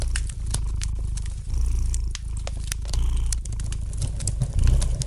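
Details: Domestic cat purring gently beside a fireplace; a steady low rumbling purr swells and eases in long breath cycles, with sharp pops and snaps of crackling fire scattered throughout.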